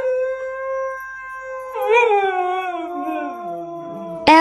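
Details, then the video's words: Husky howling: a steady tonal note held for nearly two seconds, then a louder wavering howl that slides slowly downward, with background music and a sudden noise at the end. "The 3 types of huskies"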